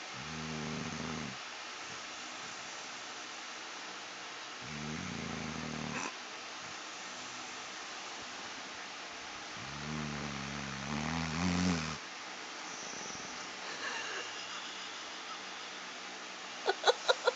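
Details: A female Redbone Coonhound snores in bed in deep, rumbling breaths that come in slow, uneven bursts.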